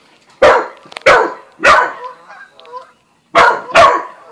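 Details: Buzz, an Australian Shepherd crossed with a Corgi and new to the family, barks at Bread Bandit the cat; five loud, sharp barks, three close together, a pause, then a quick pair.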